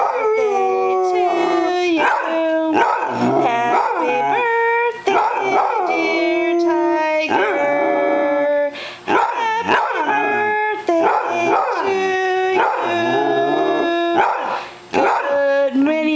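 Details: A dog that howls only to the Happy Birthday song howls along in long, wavering, sliding notes while family members sing it.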